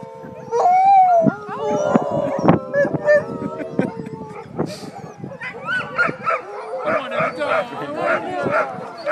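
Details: Group of sled dogs howling together: drawn-out wavering howls at the start, punctuated by sharp barks, then a busier mix of rising yips and short cries from many dogs overlapping.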